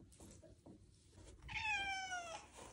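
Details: Harnessed Ragdoll cat about to go on a bike ride lets out one drawn-out, slightly falling meow after quiet indoor rustling.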